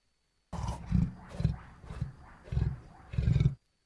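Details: Wild lion roaring: a series of about five short, deep, grunting roars spaced roughly half a second apart, rising and falling in loudness, with quiet surroundings before and after.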